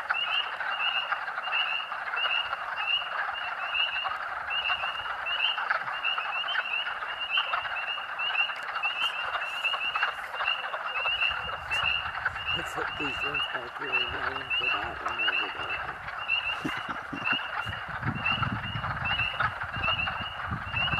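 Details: A dense chorus of thousands of spring peepers at Rothrock State Forest, Huntingdon County, Pennsylvania, on March 11, 2012, in early spring; countless high, clear peeps form a ringing wall audible almost half a mile away.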